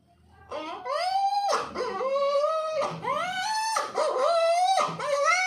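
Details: Puppy giving a series of drawn-out, high whining cries, each sliding upward and then dropping away, about five long wails with brief short yelps between them.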